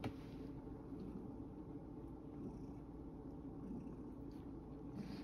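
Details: Quiet, low rumbling purr from Sacchan, a rescued male cat at Kazano Kobo, resting after tiring himself out playing in a field.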